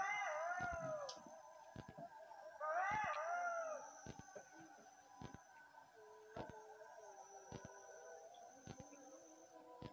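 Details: Golden jackals at Meleskur, Rize, Turkey, which come out at the call to prayer and then search for food. Two bursts of wavering, high yipping howls rise and fall, then fade to quieter background with scattered sharp clicks.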